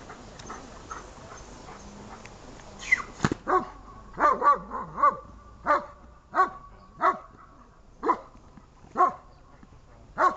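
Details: Archik, a dog, barking during a training session dated 1.07.18: after a few seconds of low background noise, loud harsh barks come in a steady series, roughly one every 0.7 seconds.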